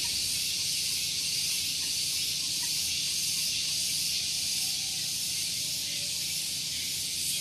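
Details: Cicada (tonggeret) chorus on a relaxed morning at Gunung Geulis, Bogor, West Java, recorded near a car park; steady shrill buzzing drone, faintly pulsing about three times a second, with low background rumble.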